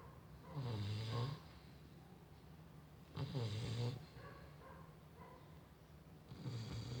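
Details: A female Chow Chow snores deeply, with a low rumbling breath roughly every three seconds.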